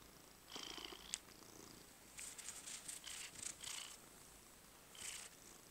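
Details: Domestic cat purring while being massaged, heard as soft, rasping breathy bursts of about half a second to a second and a half, separated by quiet gaps, in a quiet indoor setting.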